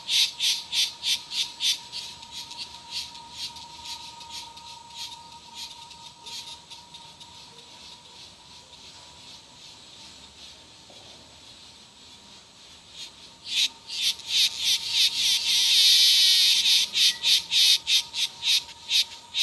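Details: Cicadas pulse rapidly and rhythmically, then drop to a soft hiss. They surge back with dense, loud pulses that merge into a continuous shrill buzz before breaking into pulses again. A faint steady tone hums behind.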